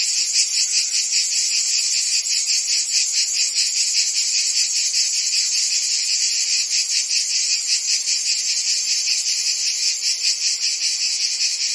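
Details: Steady shrill insect chorus led by crickets, many overlapping high chirps merging into a constant shimmering buzz with a faint regular pulse, nothing else heard.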